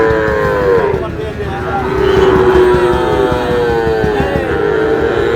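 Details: Sahiwal breed bull calves bought by a Noakhali farmer in Bangladesh give long, drawn-out lowing moos that bend slowly in pitch and run almost unbroken, over steady background crowd and engine noise.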